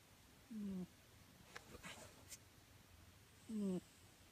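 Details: Pet cat fast asleep indoors, snoring: two voiced, slightly falling rasping snores about three seconds apart, each lasting a third of a second, with faint soft rustles between them.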